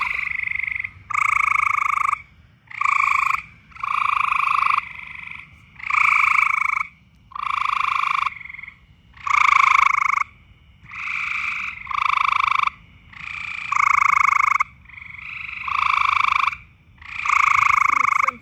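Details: Frogs calling loudly in mating season: a long series of trilled, buzzy croaks about half a second to a second long, each with a low and a higher band, repeated roughly every one and a half seconds with short gaps.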